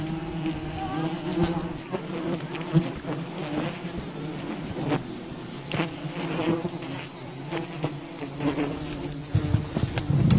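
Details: Wild bees buzzing around their colony during honey harvesting, an even low drone with faint overtones, interrupted by scattered knocks and crackling handling noises, swelling slightly near the end.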